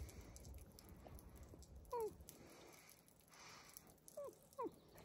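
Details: Wolves kept at the zoo beside a hotel in Järvsö, Sweden, giving a short falling whine near two seconds, then two or three quick descending yelps toward the end, over a low rumbling background.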